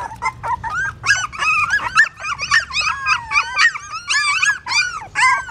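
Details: Newborn puppies in a pagoda stupa in Siem Reap, Cambodia, hungry and suckling their mother's milk: a dense chorus of high, overlapping squeals and whines. The calls rise and fall in pitch, arrive in rapid bursts, and run almost without pause.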